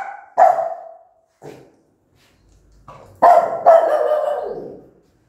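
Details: Mother dog angrily barking at her newborn puppies; a harsh bark, a short softer one, then two loud drawn-out barks close together near the end.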